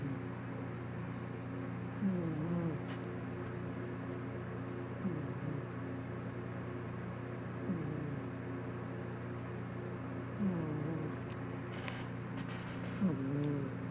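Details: Sleeping pet cat snoring, as he habitually does: soft tonal, wheezy snores that rise and fall, recurring about every three seconds over a steady low indoor hum.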